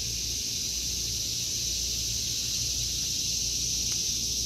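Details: In a vegetable garden in August 2023, cicadas give a loud, constant high-pitched buzz that dominates, with a soft low hum in the background.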